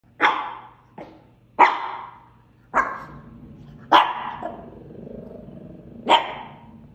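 A Shih Tzu gives sharp, bright barks spaced a second or so apart.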